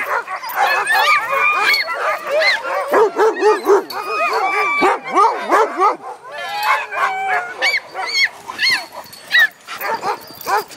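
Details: Dogs out in the dog yard yipping and whining in rapid overlapping bursts, high arched cries tumbling over each other with short barks, dense and excited throughout.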